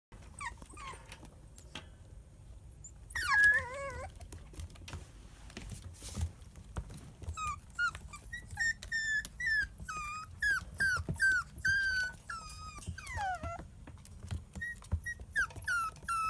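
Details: Kaninchen Dachshund puppies, a litter bred from two champion parents, whining and whimpering indoors: high, wavering squeaky cries come in quick irregular bursts, some sliding up and down, with soft thuds and shuffling between calls.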